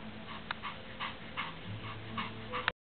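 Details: After playing frisbee, Pomeranian Dacar and Lhasa Apso Mikko pant steadily. Short airy huffs recur about twice a second over a low background hum, and a sharp click ends the stretch.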